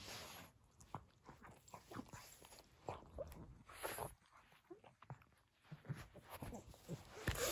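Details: Pug named Nova, a female, chewing and mouthing her crinkle toy in a small room, giving quick wet clicking mouth sounds and snuffly breaths among steady plastic rustling and crackles.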